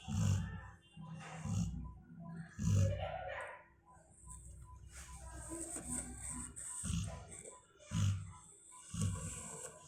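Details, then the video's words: Perry, a female Labrador, snores while asleep: heavy low growly inhalations in bursts, a quieter pause, then more rumbling breaths, with soft hissing exhalations and faint background sounds. "Perry making a noise ... when she was sleeping"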